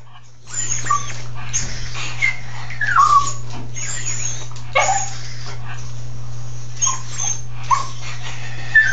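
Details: A pet dog in a tub gives brief, scattered high whines and squeaks, some falling in pitch, spaced irregularly over a steady low hum and faint rustling.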